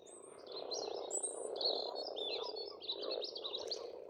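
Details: Spring frog chorus from an Estonian farm pond, a continuous murmuring mass of low croaks that never pauses, overlaid by chirping and warbling birdsong in short high bursts.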